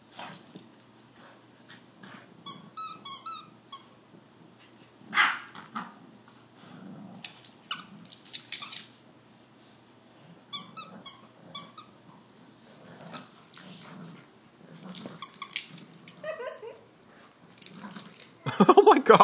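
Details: Olde English Bulldogge and English Bulldog puppy, Lola and Rico, playing indoors and fighting over a stuffed bear; low rumbling growls run throughout, broken by squeaky toy notes and scuffling, with a loud burst at the end.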